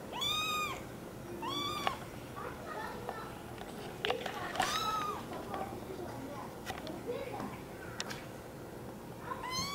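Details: American Curl kitten giving several short arched meows, spaced a second or two apart, amid soft human voices, rustling and small clicks in the background.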